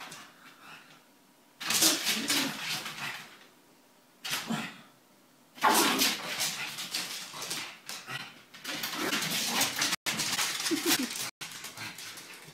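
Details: Pug, female named Pchyolka, gives breathy, snuffling whimpers and short yips in irregular bursts, apparently thinking she has a new girlfriend.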